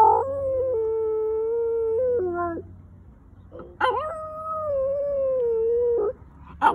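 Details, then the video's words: Pet dog practicing howls, recorded March 2020: two long, level howls separated by a quiet pause, each ending in a short downward step, with yelp-like bursts at the onsets. "FOX Howling"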